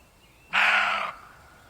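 A deer lets out a single rough, nasal call, loud and abrupt, held for about half a second before cutting off. Quiet background noise comes before and after it.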